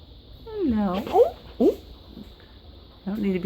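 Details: House cat given catnip freshly picked from the yard, indoors: a drawn-out meow sliding downward, then short sharp calls and a brief final mew, with a woman talking to the cat.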